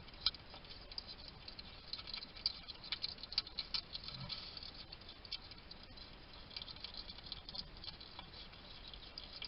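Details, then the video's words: Wild male hedgehog at a feeding station in a Somerset, UK garden, recorded on a trail cam while eating: quiet, irregular wet clicks and smacking chews in rapid bursts over a soft hiss of background noise. "Ever wonder what a hedgehog sounds like? This little guy chatting to himself while he eats."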